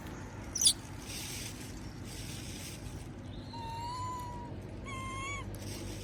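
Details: A monkey begs for food while others eat peanuts, giving thin, drawn-out whining coos that bend slightly up and down.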